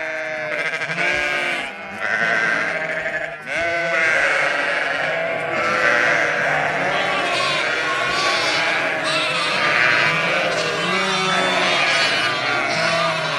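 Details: Lambs meeting their mothers at Kangal, Sinop: a flock of sheep bleats constantly, many overlapping wavering harmonic bleats at high and low pitch, with a man calling out briefly.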